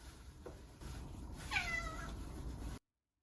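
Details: A pet cat, indoors, recorded while wanting out of its cage or wanting food, gives a single clear meow of about one second. The meow is harmonic and slightly falling, and the room is otherwise quiet.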